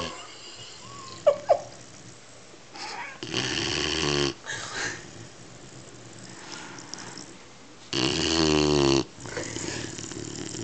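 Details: A 12-week-old Weimaraner puppy snores in two long, rattling, buzzy breaths a few seconds apart.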